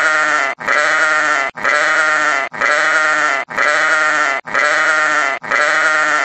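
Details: A sheep gives a run of strong, drawn-out, wavering bleats, each lasting close to a second and separated by brief gaps, in an even rhythm with no background noise.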